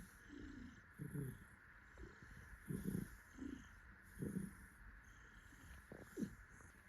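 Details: A happy tuxedo cat purring while held and cuddled by its owner; low rumbling pulses swell and fade in a breathing rhythm about every one and a half seconds, with a steady faint hum in the background.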